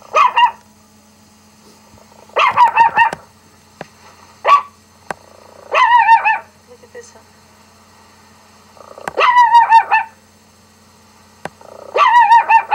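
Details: Pet dog Rocky barking in reaction to a dog barking on a laptop: bright, ringing barks in short clustered bursts, spaced irregularly every one to three seconds, each with a quick rising-falling pitch wobble.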